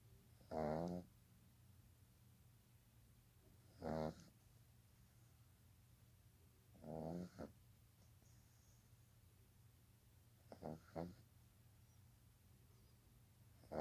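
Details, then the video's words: Baby pug dog sleeping soundly, giving rough buzzy snores roughly every three seconds, five in all, the last one broken and stuttering, with a faint low hum behind. "My baby Pug snoring."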